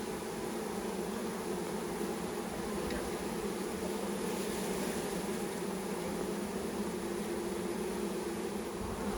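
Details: Thousands of honey bees just poured from a package into a new hive alongside their caged queen, buzzing in a loud, even, unbroken hum with a steady low drone and no other sounds.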